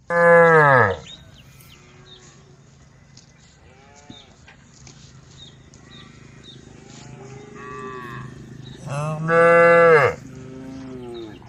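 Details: A group of tame female cows (Bos taurus) give deep, drawn-out moos with rich harmonics, calling to the herd.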